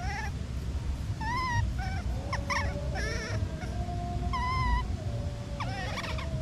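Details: Crying baby monkey, apart from its mother, gives repeated short rising-then-falling whining calls rich in harmonics, roughly four bursts plus scattered clicks, over constant low rumble and a thin steady drawn-out tone.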